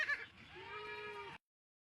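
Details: A mother goat of a short, native-like type on a rural farm gives one steady, drawn-out, even-pitched bleat lasting nearly a second, after a brief voice.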